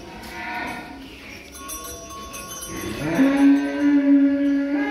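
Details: Cattle carried by pickup to a cattle contest in Boyolali, Indonesia, with the named animals Maheso and Suro and two calves; a long, steady, low moo holds from about three seconds on, over background music.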